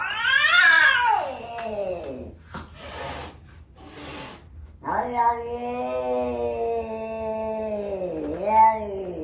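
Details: Cat giving loud, drawn-out wailing yowls, first a rising-then-falling cry, then a long sustained howl ending with an upward bend; a woman's voice speaks briefly in between.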